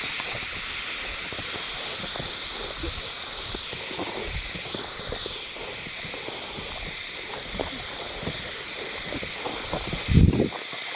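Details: Unseen Hime-harusemi cicadas in Yamaguchi Prefecture, Japan, on 19 July 2022 keep up a seamless high-pitched hissing drone from many insects, with light crackles and a short low knock near the end.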